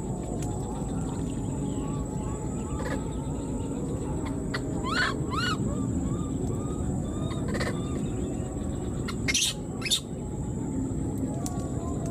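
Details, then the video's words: Abandoned wild newborn monkey keeps crying for its mother, giving faint soft arched peeps, then a brief cluster of louder harmonic squeals midway, set against constant hiss with scattered clicks and knocks. "the wild newborn baby monkey was left behind and keeps calling for its mother"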